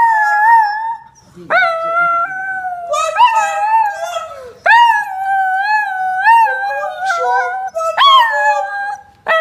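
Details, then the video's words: Chinese Crested Powderpuff Diva, a three-to-four-year-old female, howling one morning at home on the Gold Coast, Australia, joined by another Powderpuff learning from her: repeated howls that each start with an upward swoop, then waver and trail off. "Diva, The Chinese Crested Powderfuff Howling in the morning on the Gold Coast."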